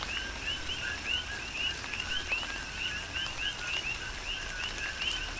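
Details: Big Island, Hawaii coqui frogs calling through tropical rain: rhythmic, overlapping chirps, each a low note then a bright upswept higher note, steady and continuous over gentle rain noise.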